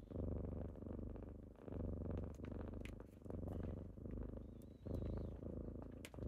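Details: Kittens purring close up on a typical morning as they wake their owner; steady low rumbling purr in breath-paced bursts of roughly a second, faint thin squeak near the end.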